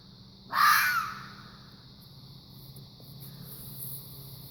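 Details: A fox gives a strange noise, one sudden raspy shriek lasting roughly half a second and dropping slightly in pitch, followed by a quiet humming background.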